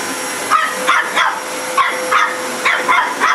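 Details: A pet dog barking at a running vacuum cleaner: short, sharp barks repeated roughly every third of a second in bursts, over the vacuum's steady whine.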